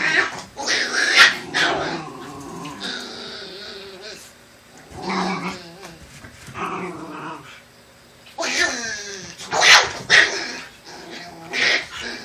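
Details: Black Shiba Inu family, Kotaro and Sakura with their puppies: rough, harsh growls and short yips in bursts near the start, mid-clip and again around nine to ten seconds, with quieter gaps between.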